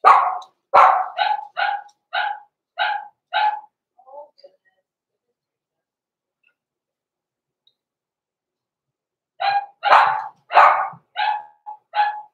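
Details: Blenheim Cavalier King Charles Spaniel puppies in a home puppy pen before Christmas, born November 14, 2022. A run of about eight high, evenly spaced yappy barks gives way to a long silence, then a second burst of six barks.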